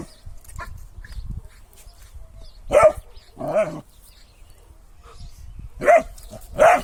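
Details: Kangal dog barking in short single woofs, four spaced barks over about seven seconds with quiet gaps, faint background noise between them.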